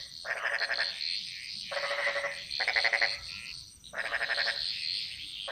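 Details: Croaking frogs in Bali's jungle: three rasping, rapidly pulsed call bouts roughly a second long, with a softer high chorus humming steadily underneath.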